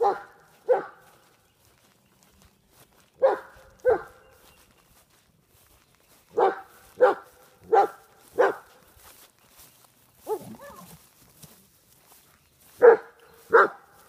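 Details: A 125 lb German Shepherd of Czechoslovakian bloodlines, Smokey Vaclav, confronting a groundhog outdoors, barks deep and loud, mostly in pairs, about a dozen times with pauses between; a person speaks briefly midway.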